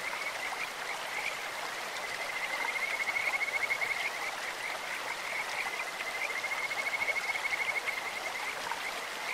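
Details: Sweet, insect-like high trills of a Kajika frog in a clear stream, two bursts of rapid pulsed whistling in the middle and later part, beneath a continuous rushing water background.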